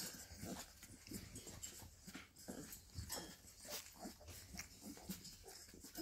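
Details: Bull Terrier puppies play fighting, each starting to show its own personality; a dense run of short scuffling bursts, soft grunts and yips follows one another quickly over a steady hiss.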